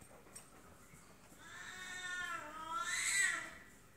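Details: Female F2 Savannah cat in a scuffle with a serval: a rising, drawn-out harmonic yowl building over two seconds to a loud, rasping, hiss-like peak before tailing off.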